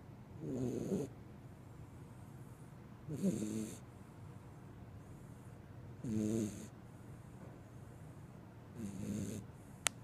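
A Corgi puppy snores softly, each rumbling breath coming roughly every three seconds.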